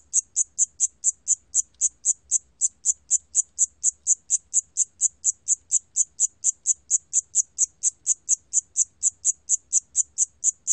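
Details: Steady Siamese cricket calling, recorded by Korea's National Institute of Biological Resources in 2020: a long run of bright, high-pitched pulses about two per second, evenly spaced, over a quiet background.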